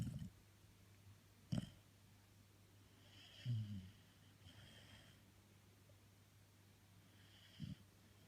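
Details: Sleeping female Labrador Retriever named Jessie snores in low, rasping bursts, about four irregularly spaced snorts and rumbles, separated by long quiet breaths against a constant low hum.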